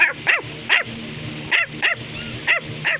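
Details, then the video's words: Bichon Frisé, a small white toy dog kept as a pet indoors, barking in short high yappy bursts, about eight sharp yips in three seconds, with a low steady hum underneath. "Bichon Frisé is Barking"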